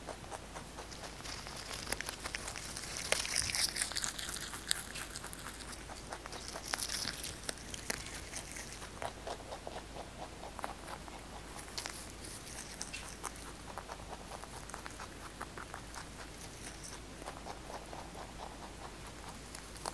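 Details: Fresh basil being eaten by the pet rabbit Kkotdori, captured close for ASMR. Steady rhythmic crunching with bright crinkling bursts early on settles into even, quieter nibbling later.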